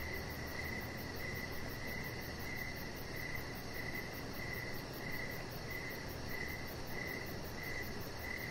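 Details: Evening crickets heard from an outdoor deck, pulsing out brief high chirps roughly twice each second in a steady, unbroken rhythm, backed by a low rumbling hum.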